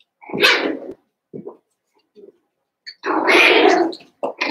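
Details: Seven-week-old Cavalier King Charles Spaniel puppies from Daisy's litter in an indoor puppy pen in the middle of a home: two long, loud, harsh yelping barks, each about a second, separated by short softer yips.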